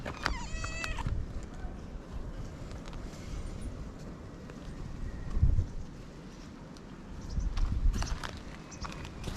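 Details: Cat in Japan crying "nyaa nyaa" while wanting to play; one short, bright, harmonic-rich meow at the very start, followed by low rumbling handling noise and soft thumps.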